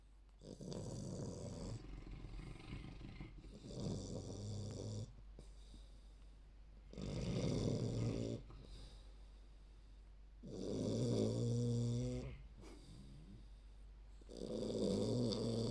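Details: A 3-month-old female Olde English Bulldogge puppy snores extremely loudly, like chainsaws, each rasping, rumbling breath swelling and fading every few seconds; loud enough to drown out speech.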